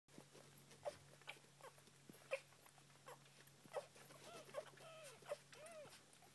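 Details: One-day-old Standard Poodle puppies nursing at their mother, giving thin high squeaks and short whining calls, some arching up and down, repeated irregularly over a low steady hum.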